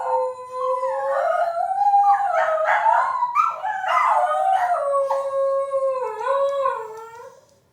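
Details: Pet Shetland Sheepdog, known for sneezing every time before it howls, gives one sustained, wavering howl lasting about seven seconds. The pitch bends up and down with strong harmonics, and the sound fades away at the end.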